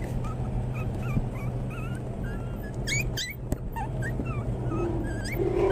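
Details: Young Pomeranian toy spitz puppies give a string of brief, thin squeaky whimpers and sharper yips, some bending up and down in pitch, over a constant low hum.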